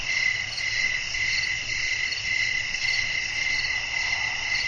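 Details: Crickets singing after dark with wind in the background, relaxing sleep ambience: unbroken shrill trilling in several high layers, softly pulsing, over a faint low rumble.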